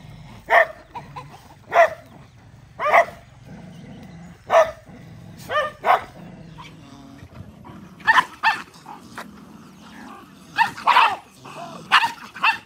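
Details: Many dogs eating rice trade a long run of barks, spaced about a second apart at first, then crowding closer and overlapping toward the end.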